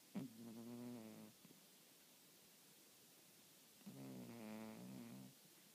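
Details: Sleeping pet cat snoring loudly indoors: two droning, nasal snores of just over a second each, about three and a half seconds apart, in a quiet room.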